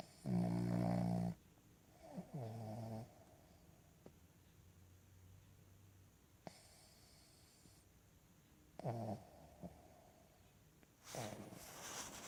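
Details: Cavalier King Charles Spaniel sleeping on a lap snores in loud, deep, rattling bursts, a long one at the start, then shorter ones around two, nine and eleven seconds, with quiet breathing between, indoors.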